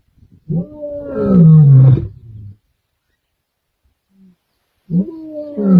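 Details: Roaring from the Kambula male lions, recorded 14 December 2023: a powerful, deep roar that rises and then sinks into a throaty grunt, a long silence, then another roar beginning.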